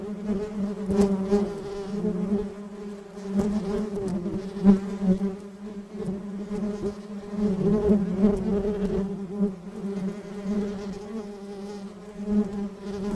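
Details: Many bees buzz steadily together, a low continuous drone with rich overtones. Small crackling ticks are scattered through the hum.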